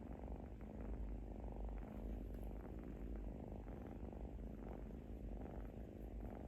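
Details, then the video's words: Snoring from a sleeping little kitten: a close, deep, rapidly pulsing rumble that holds an even level throughout, with no other sounds standing out. "Adorable Little Kitten: Listen to their Adorable Snoring"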